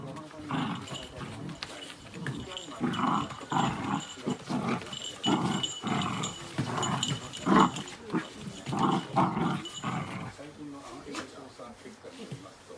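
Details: Miniature Dachshund barking in reaction to dog sounds from a TV and outdoors: a run of short, harsh barks repeated roughly every half second for about ten seconds, with some speech mixed in.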